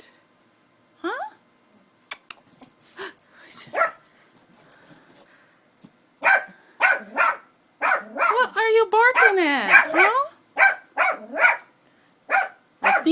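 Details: Pet dog barking at something, a woman asking what it is barking at; after quiet opening speech, a run of sharp, harmonic barks and yips arrives roughly every half second, mixed with her coaxing voice.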